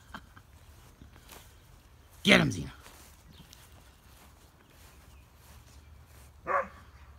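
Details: Play between an American Akita and a husky/greyhound cross: a sharp, harmonic bark with a falling tail, then a shorter, higher yelp about four seconds later, over faint outdoor background noise.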